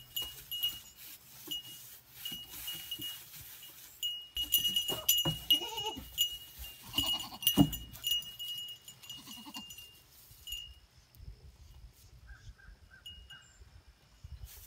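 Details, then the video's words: Goats wearing cowbells: steady high metallic clanking of bells runs throughout, with a few short bleats in the middle section, then the bells thin out to sparse tinkles. "Cowbells on Goats"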